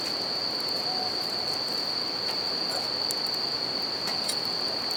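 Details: Bell crickets at night by a riverside campfire: one sustained shrill ringing note, constant rushing water, and faint fire crackles scattered through.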